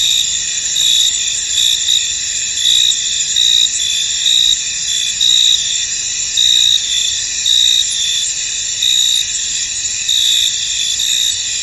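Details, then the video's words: Crickets chirping across a fog-covered field: an unbroken, piercing high-pitched trill under rhythmic louder pulses that recur about once a second, steady throughout. "Tranquil Cricket Sounds In An Misty Field"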